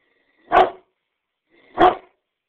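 A Great Dane gives two deep, full barks a little over a second apart.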